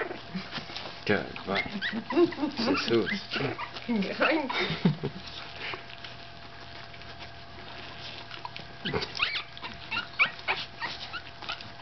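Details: A 15-day-old Staffordshire Bull Terrier puppy whimpers with thin, wavering squeaks in quick bursts, with people talking.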